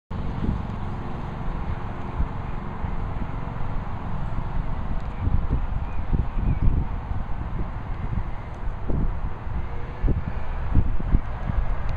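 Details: Low rumbling wind and distant traffic noise fill the recording, broken by occasional knocks and handling bumps.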